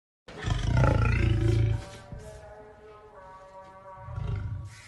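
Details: Lion roaring: one loud, deep, rasping roar lasting about one and a half seconds, then a quieter stretch with steady tonal lines beneath and a shorter low roar near the end.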